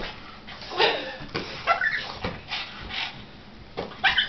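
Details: Pet dog, frustrated while watching a person hit a giant floating balloon, gives short high whiny whimpers and yips in several bursts over a few seconds, with faint background noises between them.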